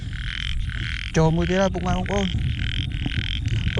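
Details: Big frogs calling at night in heavy rain in Cambodia during frog hunting: a few deep, buzzy, moaning croaks in quick succession, with steady background music throughout.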